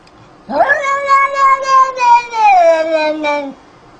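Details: A single long, drawn-out cat meow lasting about three seconds, fairly level and tonal, sliding lower toward the end, in an otherwise quiet setting.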